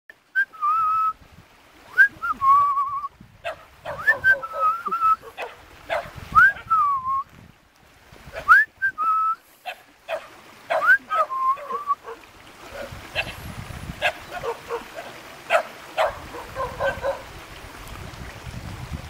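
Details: Cute puppies met in a mountain village near Jeonju, Korea, give high tonal whines that swoop up, then fall and hold, repeated every second or two for twelve seconds, with clicks and rustling, then a stretch of broadband scuffling noise.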